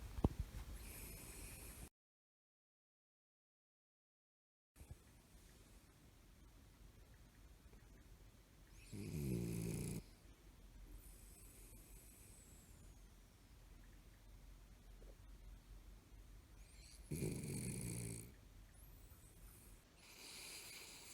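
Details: A Toy Poodle dozes on a lap with its eyes open. It gives two loud, rasping snore breaths about eight seconds apart, each with a low rumbling core, and the room is otherwise quiet.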